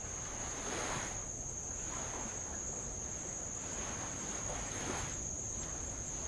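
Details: Insects on Avalau island, Tonga, hold a steady, high, unbroken trill over the soft wash of light waves on old lava.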